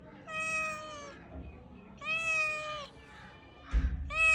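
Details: Kittens mewing: three clear, drawn-out meows, each under a second long with a slight downward bend, spaced about a second apart; a soft thump near the end.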